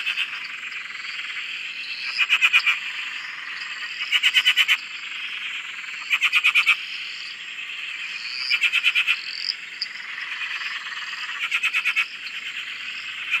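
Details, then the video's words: Australian dam frog chorus: a constant background trill broken every two seconds or so by loud, rapid pulsed croaking bursts, with faint rising chirps between. "Frog Chorus- Australia"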